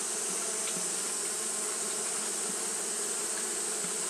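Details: On a hot day, Japanese honey bees keep up their fanning, giving an even, continuous buzz with a faint flicker of wingbeats over a steady high hiss.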